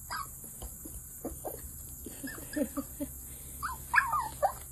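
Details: Coton de Tulear puppies at a breeder's, making brief whiny yelps and squeaks, louder and rising toward the end, against a steady high-pitched hum.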